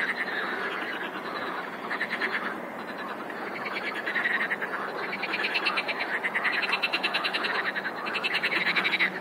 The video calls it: Хор лягушек! :) - Chorus of frogs! :)